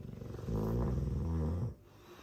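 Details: Sleeping Dogue de Bordeaux snoring loudly: one deep, rumbling breath lasting about a second, low and buzzy, ending abruptly into quiet room hiss.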